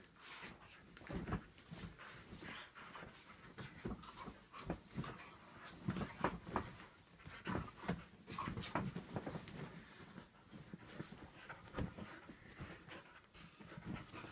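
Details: Two dogs, a Staffy cross and a whippet, wrestle in an epic play fight. Steady, uneven huffing pants and scuffles fill the recording, with brief louder bursts every second or so in a small room.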